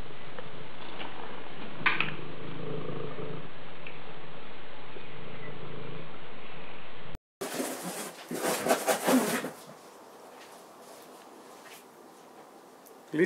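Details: Purring Maine Coon cat at home, a low even rumble lasting about seven seconds, then cut off by a burst of louder handling and rustling noise that fades to quiet.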